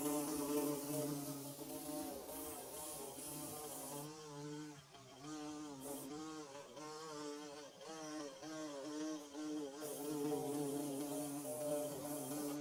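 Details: Nest-building bees humming together, a dense buzzing drone of overlapping wavering tones; the sound briefly dips and thins around the middle before the full hum returns, soft background hiss.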